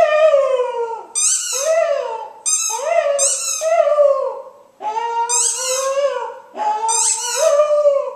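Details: Female pet dog singing along to her squeaky ball: drawn-out wavering howls, rising then sliding down, delivered in separate phrases about every one to two seconds, interleaved with sharp high squeaks from the toy.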